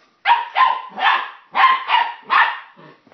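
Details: Puppy named Sun excited by plastic bottles, giving six short yappy barks in two triplets, each bark bright and high with a falling tail, a brief pause between the groups.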